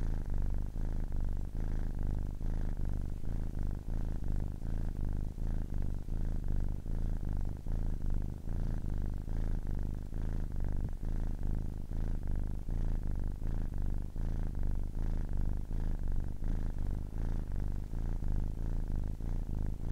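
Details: A 10-week-old kitten purring steadily: a low, continuous rumble with a fast pulsing texture and regular soft breath-like swells throughout, no other sounds.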